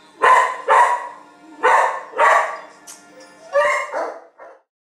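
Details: Skye, a 2-year-old female Siberian Husky frightened in a shelter in Pinole, California, gives a run of hoarse, harmonic barks in pairs, with a steady faint hum behind.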